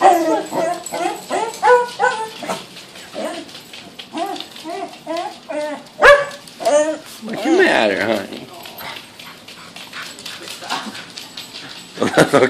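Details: A pet Pembroke Welsh Corgi freaking out at a balloon lets out a fast run of short, arching yips and whiny barks for about six seconds, then scattered louder barks, while a person talks over her.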